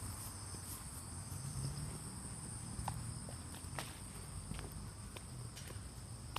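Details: Autumn insects calling at Fujimori Park, Hachioji, on the morning of 6 September 2020, in light drizzle after early rain, with cicadas no longer heard: a steady, high, thin ringing drone, broken by soft footstep-like clicks over a low rumble.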